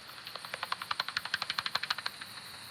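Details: Common pipistrelle hunting at night, heard through a bat detector: rapid, evenly spaced dry clicking pulses, about twelve per second, continuing steadily for under three seconds.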